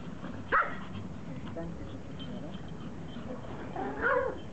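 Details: Pomeranian pack excited, knowing treats of big beef bones are coming: a sharp yip near the start and another short bark cluster toward the end over a steady low background rumble.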